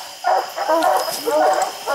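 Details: Two short, drawn-out baying barks from treeing hounds on a wooded hillside after raccoons, the second slightly wavering, over light background hiss.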